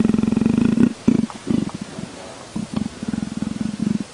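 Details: A leopard gives a low pulsed purr, first in a sustained throbbing stretch, then in broken short bursts before settling into a steady rhythm again.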